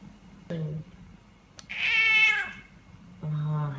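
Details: A pet cat from a funny cat compilation gives one drawn-out, harmonic-rich meow that swells and fades over about a second, set between short low human voices speaking before and after.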